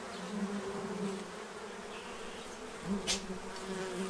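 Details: Low, continuous humming of many bees feeding at a tray in Central Illinois as they prepare for winter, pitch wavering slightly as individuals fly nearer, with a single sharp click heard briefly.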